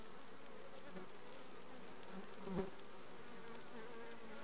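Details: Requeened honey bee colony in June 2020: a continuous low hum of massed bees, even and droning, with one brief knock near the middle.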